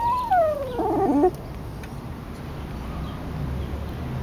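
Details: Lucky, a dog, cries because his brother went for a walk without him: one high whine sliding down from a sharp start, ending in a broken, wavering whimper, then quiet room noise.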